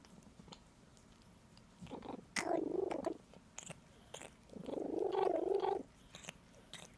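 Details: Pet cat producing odd warbling noises as it licks, two longer wobbly murmuring bursts between sharp wet licking clicks in a quiet room.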